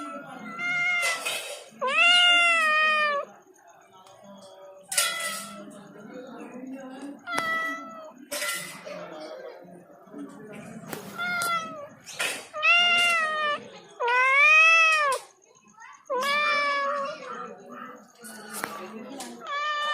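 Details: Pet cat meowing repeatedly in varied, bending, whiny tones, several rising then falling, mixed with human voices talking around it.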